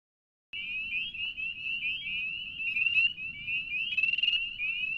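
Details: Spring peepers calling at a beaver pond in Banshee Reeks Nature Preserve, Leesburg, Virginia, in March; after a half-second of silence, a dense chorus of high, short, rising peeps overlaps continuously, with no other clear sounds.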